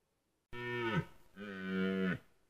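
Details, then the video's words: Red deer stag during the 2023 rut in Białowieża Forest: two drawn-out, harmonic-rich bellows, the first bending downward at its end, the second steadier and louder, with a short gap between them. "Rykowisko 2023, ranny jeleń"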